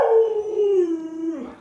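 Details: A single clean howl from Luoluo, a pet Alaskan Malamute, starts strong and glides gently downward in pitch, steady and tonal, fading out at the end.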